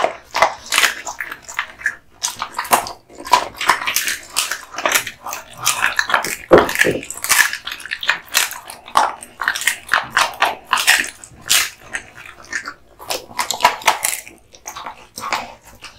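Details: Kotetsu the American Bully (Pit Bull), male, born August 2016, chews duck spine jerky in a long run of rapid crisp crunches and snapping bites, steady and closely packed, with occasional brief pauses.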